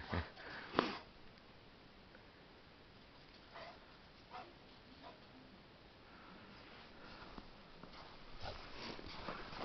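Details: A dog sniffing. One loud, breathy broadband burst comes near the start, then softer scattered sniffs follow every second or two over a low, steady hiss.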